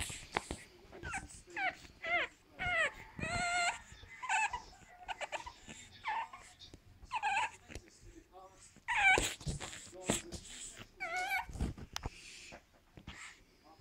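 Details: Marley, an 8-week-old pug puppy, whining while trying to climb onto the sofa indoors: a run of high, bending whimpers and yips in short bursts, scattered through the clip between quieter rustling and soft household noise.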